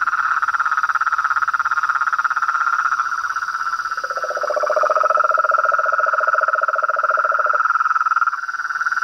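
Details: Frogs, toads and tree frogs in chorus: a dense, rapid pulsed trill runs throughout, and a lower second trill joins between four and seven and a half seconds, over a steady thin high whine.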